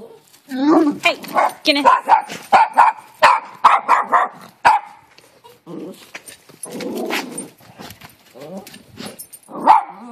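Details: Several male dogs in a backyard bark repeatedly while defending their territory, short sharp barks in quick bursts, with a person's voice breaking in near the end.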